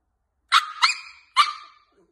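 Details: Jack Russell Terrier giving three sharp, high-pitched barks in quick succession, the first two almost back to back and the third after a short gap, each ending in a brief ringing tail, with a clean, quiet background.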